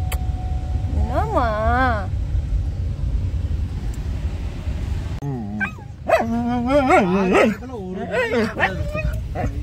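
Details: Pet dog out on an outing with its family, said to be angry, gives wavering, high-pitched whining barks in two bursts separated by a pause, over steady car engine rumble and people talking in Tamil.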